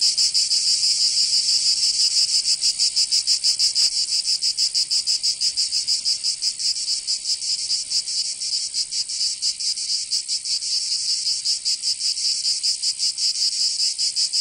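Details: Provençal cicadas in summer, southern France, keeping up a continuous shrill buzzing whose pulsing wavers and grows less even midway, a loud uninterrupted insect chorus.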